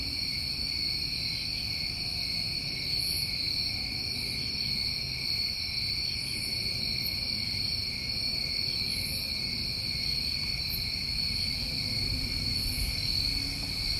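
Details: Steady shrill trilling from New England summertime crickets, two continuous ringing bands with faint scattered higher chirps throughout and a soft low rumble underneath.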